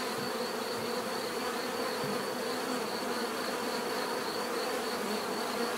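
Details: Many bees humming together, an even, unbroken buzz with low droning bands and a soft shimmering higher tone, steady in loudness from start to end.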